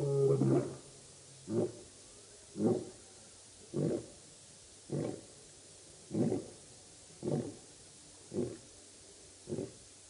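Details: Lions of the Birmingham Boys coalition roaring at the dam, Djuma Game Reserve, Sabi Sand, Kruger Park, South Africa, August 11-12 2016; a loud opening followed by eight deep, evenly spaced grunts about once a second, gradually fading.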